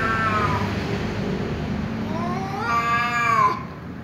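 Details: Angry tom cat meowing loudly in reply to another, ginger cat that keeps meowing; a short harmonic meow breaks out near the end, rising then falling, over steady low background rumble and a fainter earlier call.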